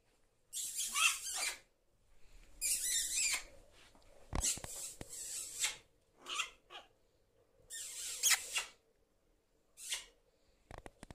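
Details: Errol, a pet prairie dog, happy on arriving at his weekend house, gives several jump yips in a row: about six loud, harsh, high-pitched bursts, each under a second, spaced one to two seconds apart, in a small quiet room.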